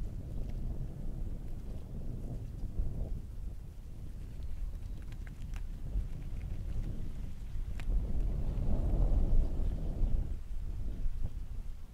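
Low, steady wind rumble buffets the microphone throughout, swelling near the end, with no animal calls standing out.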